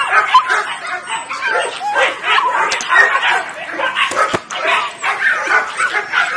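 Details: Nine Weimaraner puppies, born 23 June 2017, yelping together: a busy tangle of short high yips and whiny squeals, one sharp click partway through, the chorus rising and falling without a break.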